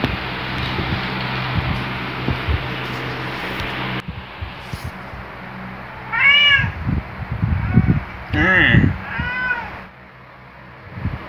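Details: Luna, a male black pet cat, wakes beside a companion and gives a loud, jolly greeting: after several seconds of human speech and room hum come two bright, rising-falling meows, then a third strained meow.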